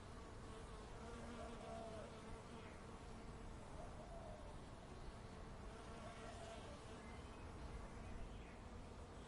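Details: Bees in a suburban backyard give a steady, low droning hum with faint overtones against a soft outdoor background.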